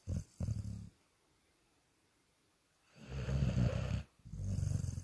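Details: A sleeping dog snoring: short low rumbling snore bursts near the start, a quiet pause, then a longer raspy snore followed by another rising breath.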